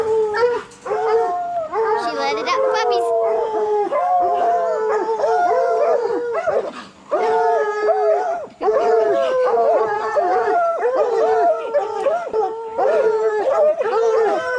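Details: Several coonhounds, bluetick and black and tan, in training to hunt raccoons, bay together almost without pause. Their voices overlap in a dense chorus of sustained, resonant howls with a few brief gaps between bursts.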